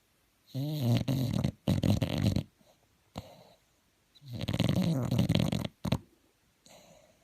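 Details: Snoring bulldog asleep indoors: loud guttural snores with a slightly wavering, humming tone, roughly every couple of seconds, with short snorts and quiet exhales between.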